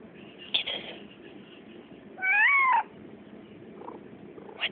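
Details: Pet cat, a female, gives a single squeaky meow of about half a second that sweeps up and then bends down, with a few soft taps before and after.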